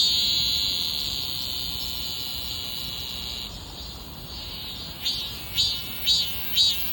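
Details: Cicada in full chorus: a steady, dense high buzz for about three seconds, then a softer drone with four rhythmic pulsing bursts near the end, roughly two per second.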